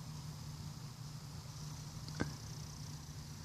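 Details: A steady low hum with one sharp click, and no animal voice.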